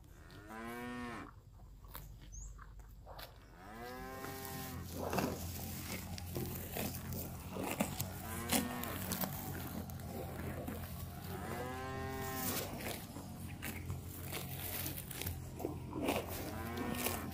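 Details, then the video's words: Grazing cows enjoying fresh grass in a park call repeatedly: several short, bending moos spaced irregularly across the stretch, mixed with crunching, rustling and clicking noises between calls. "Suara Sapi Lembu Makan Rumput"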